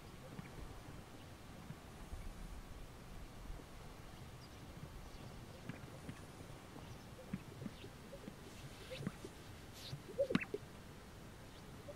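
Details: Low wind-like rumble outdoors with a few faint knocks and clicks near the end, and no clear animal voice.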